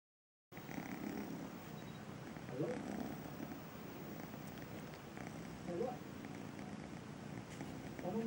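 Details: Braveheart, kitten of Missy the feral cat, meeting the sofa for the first time, purrs in a steady low rumbling drone that runs throughout, with a few faint voice traces in the background.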